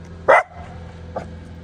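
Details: A pet dog reacting to a noise lets out one loud sharp bark, followed by a fainter short yip, over a low steady hum.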